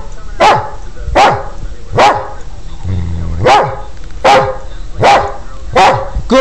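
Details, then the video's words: A trained Border Collie counts aloud with barks: seven crisp, evenly spaced barks roughly every 0.8 seconds after being asked for eight, a man's brief speech interrupting in the middle. "The Counting Border Collie"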